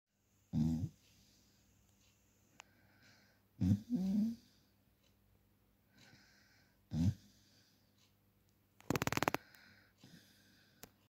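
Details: A Cocker Spaniel lets out deep, rumbling throaty grumbles in brief bursts with pauses, complaining that he was given leftover sirloin steak instead of his usual dog food; a sharp clatter breaks in near the end.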